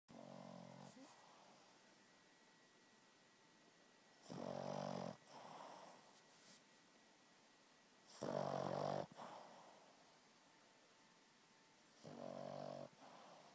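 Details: Sleeping dog snoring loudly indoors, with rough, rattling snores about every four seconds and quiet breathing between them.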